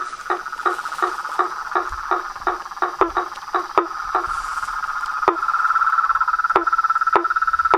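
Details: Chorus of toads, frogs and tree frogs: a steady mid-pitched pulsing trill runs throughout while a lower knocking call repeats roughly every third of a second, with a few sharp clicks scattered among them.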